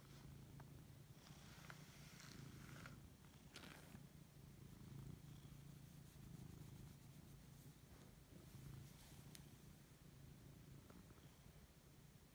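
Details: Purring of a Siberian cat as it wakes up, enjoying fuss; continuous low, even rumble throughout, with scattered soft rustles and brief clicking noises from petting.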